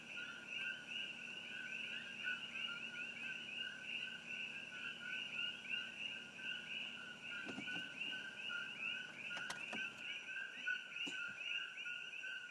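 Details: Dense chorus of introduced Coqui frogs near Hilo, Hawaii, beside Old Mamalahoa Highway, filmed with an iPhone. Constant overlapping two-part 'co-qui' notes, low then higher and rising, with several sharp clicks partway through.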